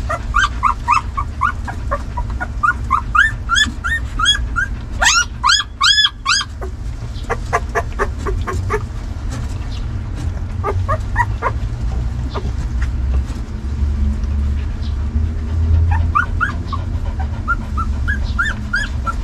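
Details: Several hungry puppies fighting over their dinner, giving shrill rising-falling whines and quick yips. A burst of loud stacked squeals comes early, then sparse short cries over steady low rumble, with more whimpers near the end.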